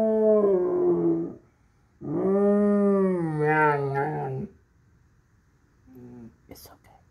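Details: Airedale Terrier howling in response to sirens, two sustained howls, the second wavering up and down in pitch before breaking off, followed by a quieter, short vocal fragment and a faint click.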